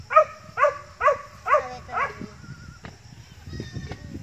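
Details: Goats from a growing herd giving a run of five short, evenly spaced bleats about half a second apart, then quieter rustling and murmuring.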